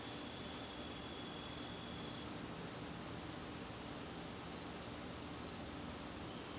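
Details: September evening in a garden, crickets producing a steady high-pitched ringing trill that never pauses, over a quiet hissing background.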